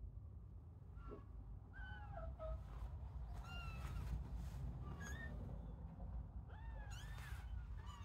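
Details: Young kittens in an indoor playpen shared with sheep, starting to leave their sibling pile to explore; thin, high meows rising and falling, several overlapping and repeated irregularly, over a steady low rumbling background.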